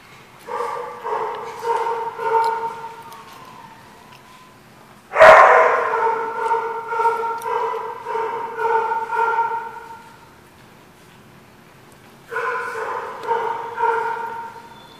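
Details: Dogs barking at a place called the barking lot, recorded 10/27/14: bursts of harmonic barks and yips, repeated in clusters with a loud sharp bark near the middle, pauses between bouts.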